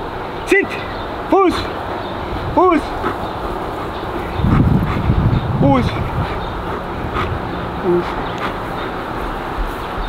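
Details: German Shepherd from the Kraftwerk K9 breeding kennel giving short arched, harmonic yelps or whines, four spaced over about six seconds, with human talking and a low rumbling background in between.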